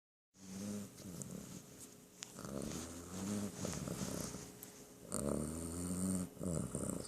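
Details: Sleeping cat snoring: slow, raspy, tonal breaths rising and falling roughly every one to two seconds, the in-breaths buzzing and slightly nasal.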